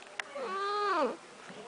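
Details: Domestic cat Snuggles, wet from a bath and waiting in her enclosure, makes one loud arched meow, rising then dropping sharply, preceded by a small click, with soft human talk after.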